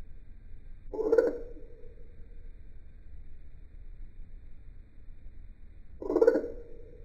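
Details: Male eastern dwarf tree frog calling in a backyard at night. Two short rasping croaks about five seconds apart, each trailing into a lower droning tail, over quiet background.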